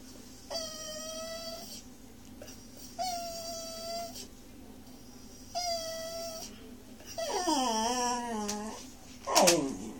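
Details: Monty, a pet Miniature Schnauzer puppy, howls for broccoli at dinner: long steady tonal howls roughly every two and a half seconds, then a wavering, falling howl and a sharp high yelp at the end, with a low household hum beneath.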